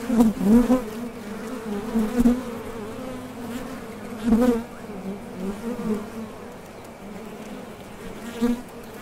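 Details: Honey bees at the entrance of a top bar hive, leaving and landing as they fly out for nectar; a steady low buzz with louder swells as individual bees pass close, at about 0.5, 2, 4.5 and 8.5 seconds.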